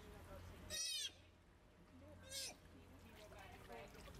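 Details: Baby sea otter Joey, a rescued pup learning to swim and dive, lets out a loud, shrill, tonal squeal lasting about a third of a second, then a shorter, softer cry, with low background hum and splashing between.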